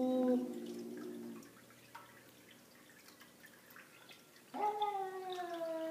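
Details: Savannah cats, on encountering an unwanted visitor, give a long, nasal harmonic meow, a quiet pause with faint clicks and drips, then a second call rising sharply before holding steady.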